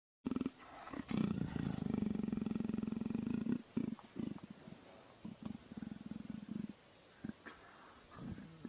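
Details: A male leopard purrs with a deep, rough, steady rumble in long pulses as he is being petted.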